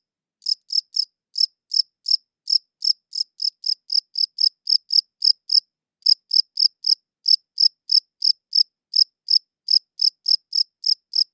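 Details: Cricket chirping, recorded with a good audio recorder: a steady run of sharp, high, ringing chirps, several per second, in uneven pairs and triplets, with one short pause and no other sounds.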